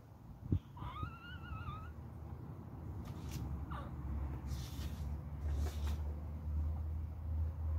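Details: Little beagle puppy fighting: a sharp thud, then a single wavering nasal whine, followed by scuffling and a low steady hum.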